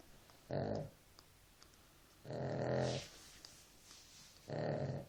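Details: Sleeping dog snoring indoors, three rasping, low-pitched snores spaced roughly two seconds apart, each lasting under a second, with a quiet room between breaths.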